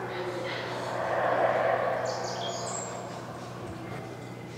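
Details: A distant howler monkey roar, recorded alongside a Wood Thrush: a deep, breathy, rumbling drone that swells and then fades, with a few faint high bird chirps and a low steady hum.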